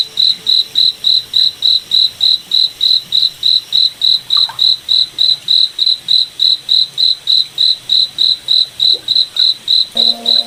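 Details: Night forest cricket giving steady, evenly spaced high chirps, roughly three to four per second throughout, with a few soft faint sounds in the background and a brief low tone near the end.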